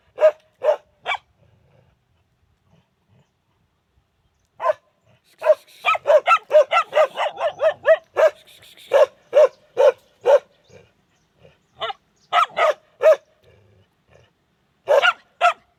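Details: Dogs barking, a few spaced barks, a silent gap, then a dense flurry of overlapping rapid barks with a faint hiss, easing into steadier single barks repeated about every half second.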